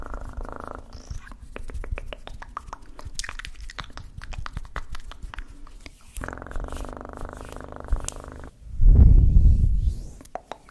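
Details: Cat purring for ASMR, a soft low continuous rumble broken by quick clicks and crackles, then a loud close thumping, rubbing burst near the end.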